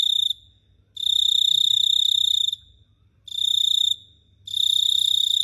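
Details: At night in Phteah Prey a cricket gives three long, piercing trills, each lasting well over a second, with short quiet breaks between them.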